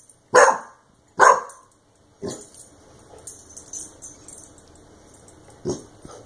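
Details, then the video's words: Clumber Spaniel puppy reacting to a compressed air can it was sprayed with gives two loud, sharp barks about a second apart, then softer barks and hissing spray noise, with one more bark near the end. "Clumber Spaniel Puppy vs Compressed Air Can"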